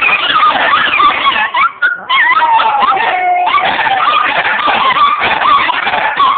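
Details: Several Chihuahuas among eight dogs break into a howling session on a relaxed Saturday afternoon: overlapping wavering, sliding high howls sustained almost without pause, with a brief dip near two seconds.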